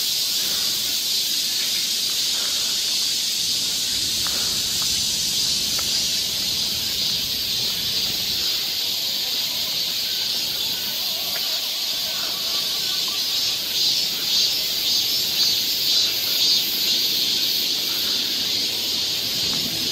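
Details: Steady shrill buzz of cicadas in a Seoul forest during Korean summer, the high hiss holding constant while the chorus swells slightly near the end.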